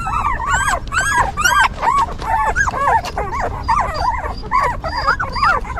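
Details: Newborn puppies of a stray mother dog whine repeatedly, about seventy arched squeaky cries a minute, bright and harmonic, the litter overlapping over a soft low background hum.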